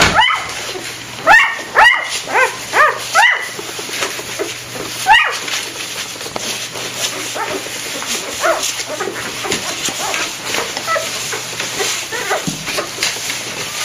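Week-old golden retriever puppies give a run of high, rising whimpers and squeaks, then quieter mewing.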